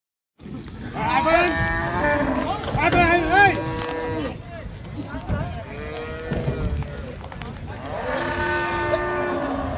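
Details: Cattle being unloaded from the river side at a very popular village cattle market: drawn-out, low harmonic moos, one held steadily, over a crowd of shouting men and the steady drone of a boat engine.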